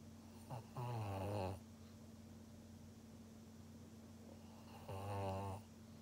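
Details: Pug named Maria in Japan, 16 February 2021: two deep, rattling snores about four seconds apart, each a low vibrating drone lasting around a second, with a faint constant hum between breaths.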